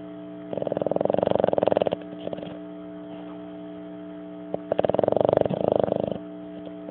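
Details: A sleeping Boston Terrier, apparently dreaming, snores in two rasping, fluttering breaths, each lasting over a second.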